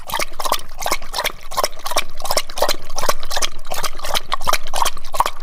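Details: Dog lapping water, which looks like licking but is drinking: quick wet slurps about three per second, each a brief splashy smack, evenly paced through the whole stretch.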